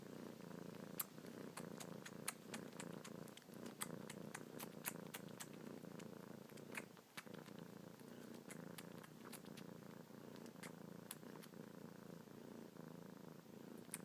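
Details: Kitten purrs steadily while suckling on a person's fingertips with kneading paws, a continuous low rumbling purr throughout, overlaid by frequent soft wet clicks from the suckling.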